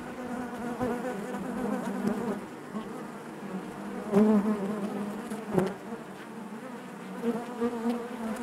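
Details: Honey bees humming inside a hive, a thick buzzing chorus that holds steady, with a louder close-by bee swelling just after four seconds and a sharp click near five and a half seconds.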